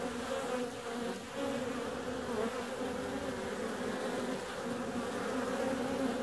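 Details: Warm February weather brings bees out flying; their buzzing forms an unbroken, rich drone with steady humming tones and gentle waves of loudness.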